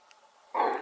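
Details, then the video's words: A female red deer gives a single short, harsh alarm bark, likened to a large dog's bark, after a moment of near silence. "Verso di allarme del Cervo"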